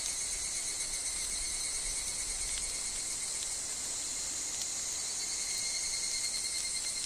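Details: Evening cicadas, the higurashi, sing in a wooded grove among wind and falling leaves. The sound is a continuous, piercing high buzz with a faint lower tone and scattered small ticks, possibly leaves dropping.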